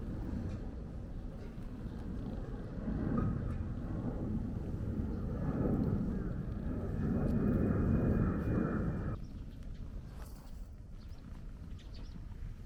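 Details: Purring stray hachiware cat under steady stroking, encountered during a walk; a throbbing low rumble swells and fades in waves, then cuts off abruptly near the end, leaving quieter outdoor ambience.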